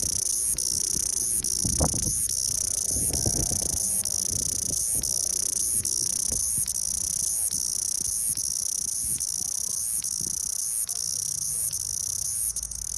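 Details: Cicada singing in a continuous high, hissing drone with bright bands near the top of the range, briefly dipping roughly every second; low thumps and rustling underneath.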